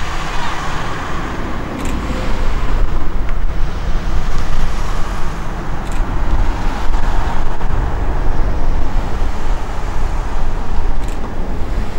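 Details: Steady low rumble of road traffic and passing vehicles, with faint murmured voices and no animal calls. A few brief clicks stand out against the continuous engine noise.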